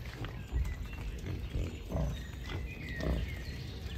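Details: Wild boars in a beech forest, including a large boar with sharp tusks; low, rough grunts come in short bursts about every second or so, with faint bird whistles high above.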